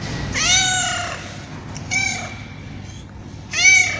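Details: Tabby cat giving three meows in four seconds: a long arched cry, a shorter flatter one, then a sharp final meow, with quiet background noise.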